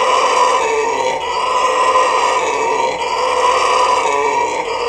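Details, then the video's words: Captive red howler monkey, Trinidad and Tobago Zoo, giving a sustained throaty roar, coarse and buzzing, held at full volume with only slight dips in loudness. "Red Howler Monkey"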